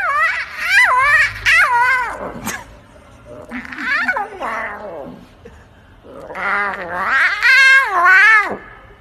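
A lion cub gives three drawn-out, wavering, mewing cries, rising and falling like a hoarse meow.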